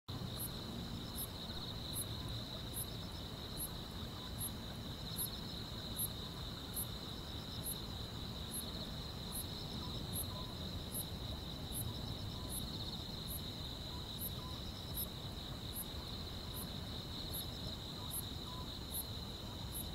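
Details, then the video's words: Grass insects on a summer night in the quiet countryside: a steady high ringing trill with a faster, fainter pulsed chirp above it, repeated about twice a second, over a low rumbling background hum. "여름밤의 포근한 풀벌레 소리"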